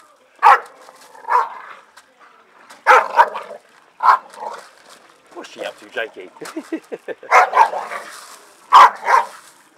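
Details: Staffordshire Bull Terriers playing in a garden give scattered loud barks and yips, with a run of rapid, lower growly vocal pulses in the middle; human speech is faintly present.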